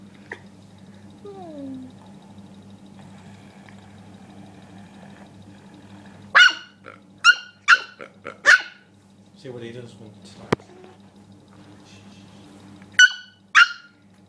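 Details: Rookie, a dog agitated by a pig, lets out a burst of five sharp barks midway and two more near the end, with a woman's voice, a click and a low hum between.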